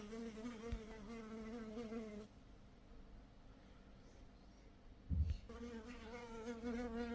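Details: Honey bee buzzing with a steady low hum and rich overtones, heard for about two seconds, fading to near silence for three seconds with a soft thump, then returning just as strong to the end.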